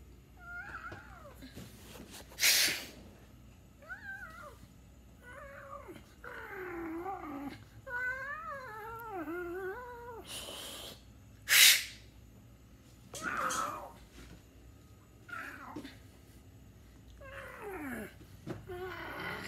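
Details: Domestic cat meowing indoors, a series of harmonic mewing calls, some wavering and drawn out, others short and falling, with several sharp clicks and knocks between them.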